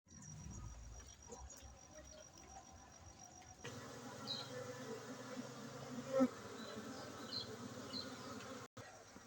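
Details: Honey bees buzzing during a honey harvest at a bee-keeping site in Bener Meriah, Aceh, on 7 August 2023. After a quiet start, a steady low hum with layered tones sets in and holds, with a brief louder burst midway.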